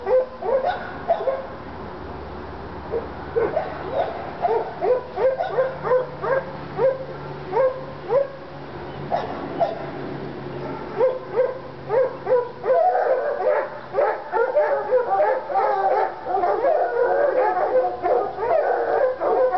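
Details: Treeing Walker Coonhounds Lady and Cooper, one still recovering from being hit by a car, stirred up on a coon skin in North Carolina: steady rapid chop barks for many seconds, building into dense overlapping bawling.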